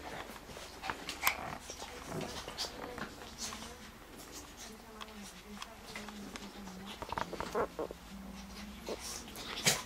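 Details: Playing Lhasa Apso and Shih Tzu: a wavering, drawn-out growl that rises and falls through the middle, broken by sharp taps and scuffling, with occasional human speech indoors.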